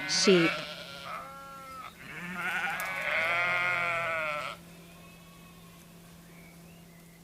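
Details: Sheep gives a short, sharp, falling cry, then a long trembling baa lasting over two seconds, followed by near silence with a faint steady hum.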